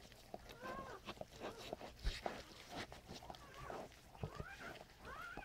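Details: Newborn standard poodle puppies from Brizz's second litter of seven, born 6/3/14, squeal beside their mother during the birth: thin, arched, rising-then-falling squeaks in short bursts, over rustling, licking and quiet human talk.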